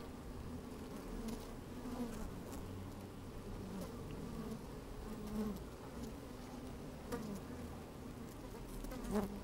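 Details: Microphone lowered into an open hive on a sunny day catches honey bees at work: an even, low drone that swells slightly now and then, with scattered clicks and occasional sharper buzzes.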